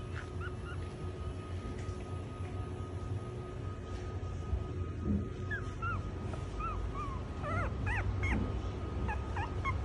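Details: Chihuahua puppy offered for sale whimpering: scattered high, wavering squeaks that grow more frequent toward the end, over constant low hum and a faint steady tone.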